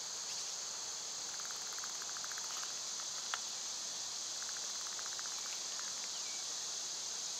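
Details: Summer cicadas, loud at this time of year, form a steady high-pitched droning hiss throughout, while short bursts of chirping bird notes rise and fall in the background.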